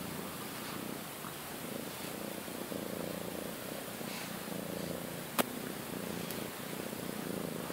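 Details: Indoor house cat, one of a friendly and shy sister pair, purring in a constant low drone; one sharp click cuts through midway and a fainter tick follows.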